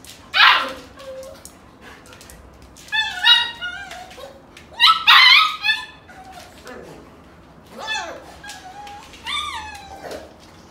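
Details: Golden Retriever mother wrestling with her puppies, teaching them to toughen up; high whining yelps and squeals in bursts of rising and falling tones, several separate cries across the clip with quiet pauses between.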